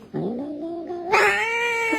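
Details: Angry domestic cat sitting on a table and reaching a paw toward a glass: a drawn-out, wavering, harmonic yowl that rises in pitch, then turns sharply louder and brighter into a strained, sustained cry.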